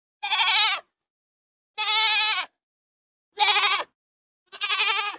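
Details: Four loud, strongly harmonic goat bleats, each roughly half a second long and spaced about one and a half seconds apart, with a steady quavering tone and no other sounds.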